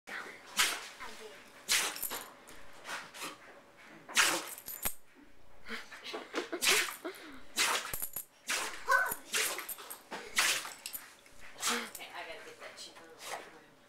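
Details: Pet dog in a sneezing fit: a string of sharp, hissing, broadband snorts bursting out every second or so, separated by brief sniffly pauses and softer breathy noises.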